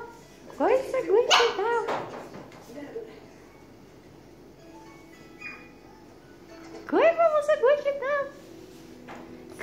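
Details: Chihuahua giving two bursts of high, rising yelps and whines, each a quick series of sharp cries, separated by a quiet stretch, with people talking nearby.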